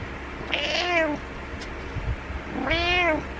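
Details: Two insistent meows from a domestic cat trying to rouse its sleeping owner. The calls are long and tonal, the second rising more steeply, separated by a short pause with faint rustling between them.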